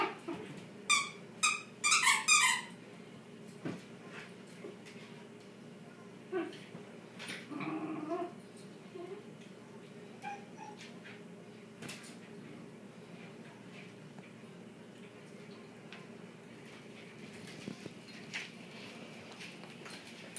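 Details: Shiba Inu dogs playing tug of war indoors, a burst of high yipping whimpers and squeals in the first three seconds, then scattered softer whines and thumps over a low room hum.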